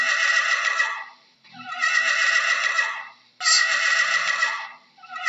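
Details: Three quavering horse whinnies follow one another closely, each loud and rough-edged, swelling then trailing off, with only slight pauses between them.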